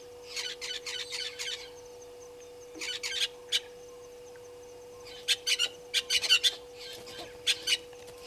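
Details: African painted dogs at Gowrie dam waterhole, Djuma Game Reserve, Sabi Sand Wildtuin, South Africa, on a live camera at 17:49 on 04/03/2022. High, squeaky chirps come in quick bursts of four to six, with gaps between the clusters and a steady low hum underneath.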